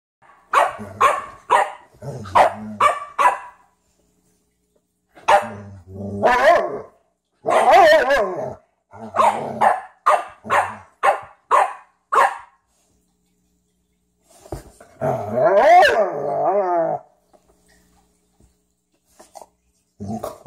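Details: Two dogs, a Frenchton and a Rhodesian ridgeback named Ziah and Jacque, playing together for the first time; rapid bursts of sharp barks, then longer rough, wavering growl-barks with short pauses between bouts.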